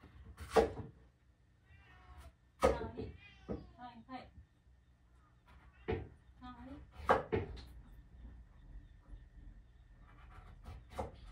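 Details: Pet cat indoors, after eating carrot and still wanting more, given a single dried sardine: several short arching meows with stacked harmonics spaced a few seconds apart, mixed with Japanese speech and faint room clatter.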